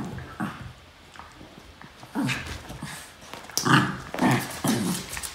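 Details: Playful growling from Norfolk Terriers wrestling on a mat: low, gravelly snarls rise in quick bursts toward the end, over scuffles and bumps of the tussle.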